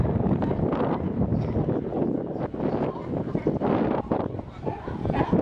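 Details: Sea lions at Pier 39 in San Francisco: a dense chorus of harsh, overlapping barks in rapid irregular bursts, with wind rumbling against the microphone throughout.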